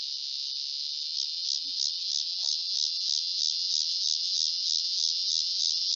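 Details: Cicada heard in its original recording, a steady high buzzing drone that pulses about three times a second, even and unbroken throughout, with no other clear sounds.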